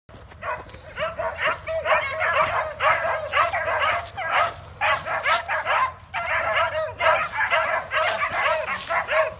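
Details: Several beagle and walker hounds bay at a big red coyote held in a pen. Loud, overlapping, ringing bays come in rapid bursts of about two per second, with short pauses, as a whole pack gives tongue together.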